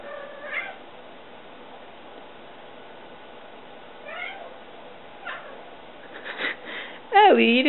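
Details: Pet cat Ellie playing fetch, giving a loud, wavering, drawn-out meow at the end, preceded by a couple of short, faint rising chirps and some soft human speech.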